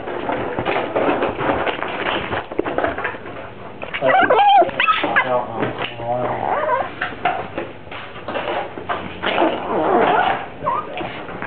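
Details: A dog whose voice is likened to a Star Wars character or a baby, producing a continuous run of whining, groaning, talk-like vocalisations with rising and falling tones and brief yelping bursts, loudest around the middle.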